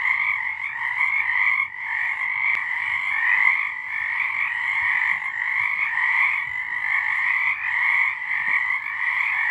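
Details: Night chorus of many frogs in March 2023: continuous massed trilling croaks that pulse gently in loudness throughout, with one faint sharp click near the start.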